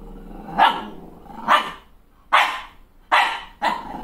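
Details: Malshi puppy, a female crossbreed, furious at her own reflection in the mirror after a new haircut: five sharp, harsh barks spaced under a second apart, with low rumbling between them.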